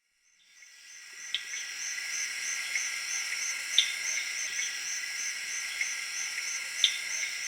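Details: Crickets chirping in the Zaire jungle in the late evening alongside tree frogs; a dense, shrill, steady chorus fades in over the first second, with a fast pulsing high trill and sharp isolated clicks or pops.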